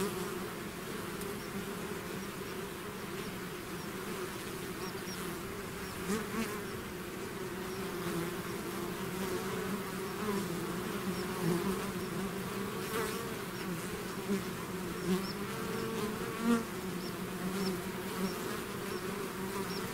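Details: Many bees in a swarm out of the hive drone in an unbroken, layered hum, individual insects flying close now and then to add short louder buzzes over twenty seconds.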